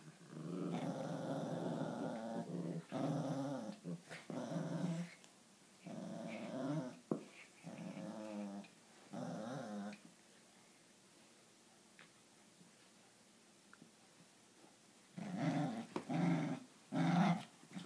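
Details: An Italian Greyhound and a Papillon in their morning tug-of-war routine indoors: bursts of rough, rumbling play growls with short gaps, a quiet stretch midway, then more growling at the end.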